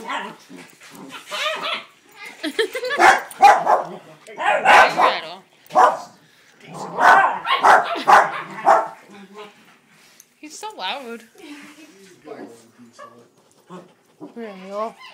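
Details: Dogs at play, a new puppy visiting on a weekend to play with a household trio; bursts of sharp, yappy barks clustered in the first nine seconds, softer whines and yips after, with people talking in the background.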